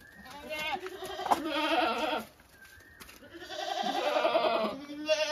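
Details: Domestic goat giving two long, drawn-out, quavering bleats of about two seconds each, separated by a brief pause, with a thin bird chirp before each.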